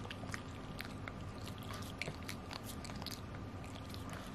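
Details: Chai, a 9 kg Pekingese, gnawing a Himalayan mountain cheese stick; dense, steady run of crunchy bites and wet chewing clicks throughout, with a low indoor hum underneath.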